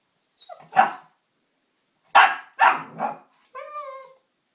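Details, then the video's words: Indoor standoff between Oscar, a pug puppy aged eight months, and the Hoover: four hoarse, rapid barks, then a single sustained, slightly falling whine to close. "Oscar vs the Hoover"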